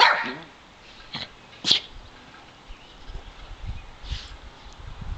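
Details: Two pet dogs, Davey (brown) and Brodie (white), aged seven and eight, playing together in a sunny back yard: one short, loud harmonic bark opens, followed by a few sharp, brief yips or clicks spaced over several seconds against quiet outdoor background.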